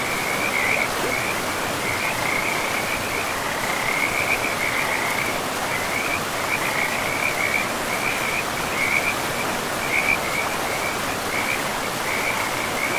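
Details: Along a forest river, a frog chorus keeps up rapid high-pitched pulsed calls in quick bursts, one group after another, set against a loud, even hiss of running water throughout.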